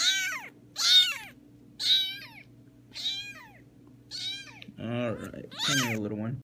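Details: Small kitten roaming an apartment, producing five strained, high meows roughly one per second, followed by a person speaking briefly at the end; low steady hum in background.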